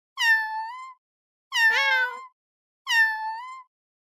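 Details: Cat meowing three times at even intervals, each call a clear, drawn-out tonal meow of almost a second that rises slightly at the end, separated by silence.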